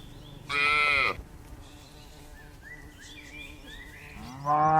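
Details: Herd of dozens of tame cattle bounding down a mountainside: one short, strained moo, then quiet with chirping birds, then another moo beginning at the end.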